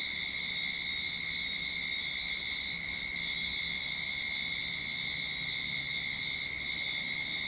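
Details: Cicadas in a Sydney backyard at the start of summer, a continuous shrill, steady droning buzz with no breaks, strongest in a high band with a thinner tone lower down, unchanging in loudness throughout.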